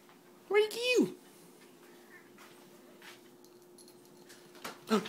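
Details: Ariibella the house cat talking to a moth indoors gives a single meow that rises and then drops sharply, followed by near silence and a brief quiet human sound at the end.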